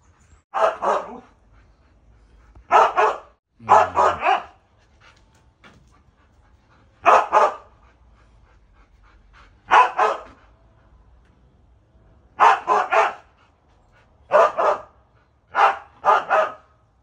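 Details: Siberian Huskies at home while Max chases birds on hunting instinct. Sharp, harsh barks come in single shots and quick doubles or triples, spaced every one to three seconds, over quiet background.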